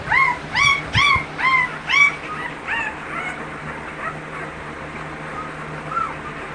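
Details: At an American Bully kennel, a dog gives rapid high whining yips, rising then falling, about two per second, that fade into softer, scattered whimpers over faint background noise.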